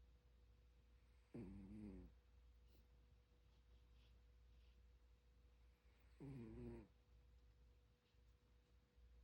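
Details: Sleeping pet dog snoring indoors: two low, rumbling, throaty snores with layered harmonics, each lasting under a second and about five seconds apart, over a steady electrical hum in a quiet room.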